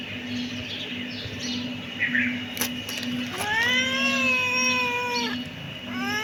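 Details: Kitten letting out a loud meow that rises then levels for about two seconds, followed by the start of a second meow. Faint squeaks come earlier, and a steady hum runs underneath.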